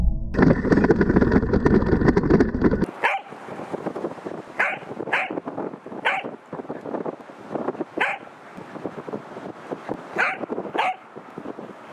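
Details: Pembroke Welsh Corgi named Roku plays with an Anpanman RC car carrying a GoPro and insta360 camera. After a loud rumbling opening, about six short, sharp barks come at irregular intervals over the whirring motor.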